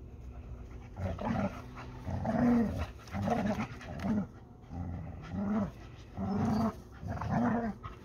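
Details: Labrador Retriever tussling with a Hungarian Vizsla over a ball, giving rhythmic growling bursts about once a second, each rough and throaty with a brief rising tonal edge, separated by short quieter gaps.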